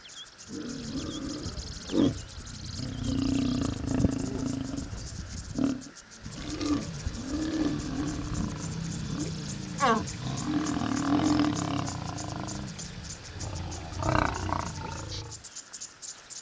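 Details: Lions mating in the Masai Mara National Reserve, Kenya, open grassland with acacia trees; deep, rumbling harmonic growls and snarls run almost continuously with brief pauses, rising into louder bursts, while faint high insect chirping sounds behind.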